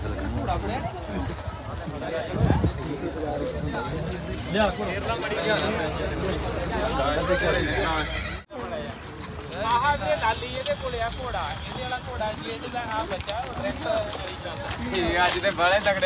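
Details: Horses, a mare and her filly, at a crowded horse market in India. A wavering whinny with shaky, trembling harmonics rises and falls in bursts, overlapped by constant men's speech and general market noise.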